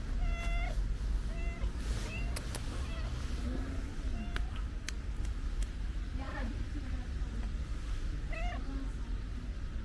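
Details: Affectionate stray cat with a pink nose meows repeatedly, short rising-falling cries every second or two, over constant low street rumble with a voice speaking in between.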